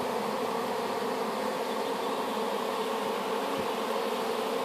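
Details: Honey bees from a swarm collected in an apple tree and just placed in a new hive: a steady, dense buzzing hum of many bees, unbroken throughout.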